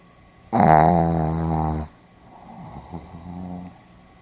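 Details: Sleeping Pomeranian dog snoring indoors: one loud rasping inhale of about 1.3 seconds with dense stacked harmonics, followed by a softer, fainter breath.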